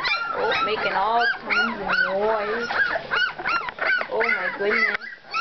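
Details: Young pups, two weeks old, squealing together: a run of rising-then-falling whiny yelps, several each second, with a steady lower whimper underneath and a voice speaking now and then.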